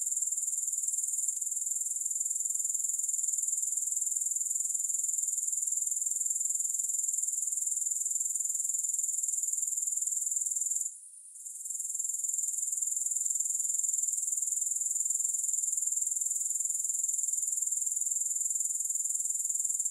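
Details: Continuous high-pitched grasshopper chorus with no music, a dense buzzing trill holding one pitch throughout, broken only by a short quiet gap around eleven seconds before swelling back.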